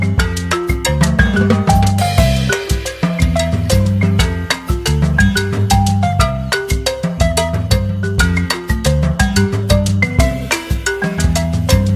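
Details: Lively salsa-style music with marimba and percussion playing a bright rhythmic melody over a strong bass line, with no animal calls present.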